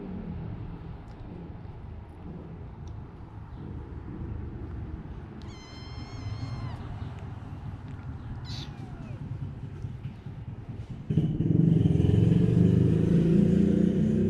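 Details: Kittens of the cat Taeng-On, the four named Leopard, Samlee, Durian and Daoruang: one high, thin meow with a steady pitch, at about the middle of the clip, over a low rumbling background that gets louder near the end.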